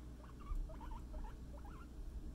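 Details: Pet guinea pig Scruff, out for floor time and playing with a friend indoors: a quick run of short, squeaky chirps that rise and dip in pitch, four or five bursts in about two seconds, over a steady low hum.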